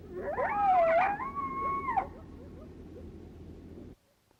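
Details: Group howl from two or three coyotes together, each giving lone howls with the same meaning as a lone howl: overlapping wavering, rising and falling howls that tangle for about two seconds, then fade into a low background hiss.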